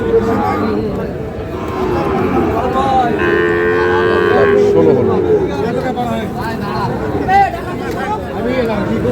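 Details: Sahiwal bull calves at Khochabari cattle market, Parbatipur, Dinajpur, on 10 April, a market held Fridays and Mondays. One low, drawn-out, steady moo lasts about two seconds, half-buried in dense crowd chatter and bustle.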